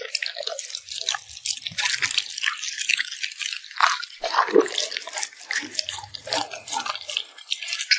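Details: Cute puppy at mealtime, lips smacking over its food: rapid wet clicks and drip-like smacks tumbling together, a few duller gulping sounds underneath, recorded close in a quiet room.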